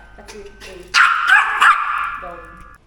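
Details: A fearful Yorkshire Terrier gives a quick run of sharp, high-pitched barks at a stranger while a man talks; the trainer suspects fear-based behaviour after earlier training.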